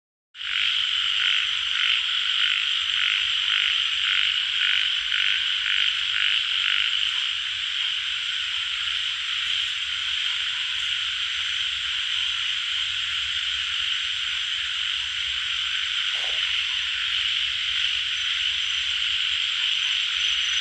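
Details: Tiger frog, also called yellow frog, calling in a dense chorus: steady bright buzzing wash with a run of rhythmic pulsed croaks about twice a second in the first seven seconds, fading into a continuous drone.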